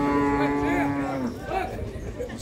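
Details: Young bull shown for sale at the cattle fair of Canafístula de Frei Damião, Alagoas, Brazil, giving a steady mid-pitched moo for over a second that drops at the end, followed by a man talking.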